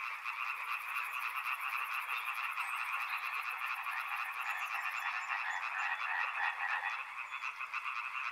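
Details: A thick chorus of many frogs near a river, rapid overlapping pulsed croaks throughout, plus a thin, very high rapid buzzing trill during the first five seconds, probably an insect.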